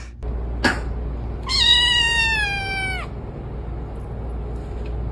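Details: Domestic cat giving a single long, drawn-out meow lasting about a second and a half, starting high and sliding gradually downward with a rich, nasal tone, preceded by a brief sharp knock and over a low steady hum.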